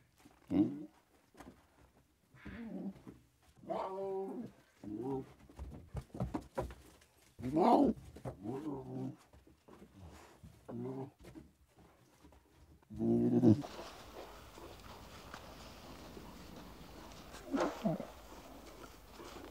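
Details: Lion cubs at play in the wild: a run of low, harmonic moaning and mewing calls in quick short bouts, then a steady background hiss after about thirteen seconds with one more muffled call.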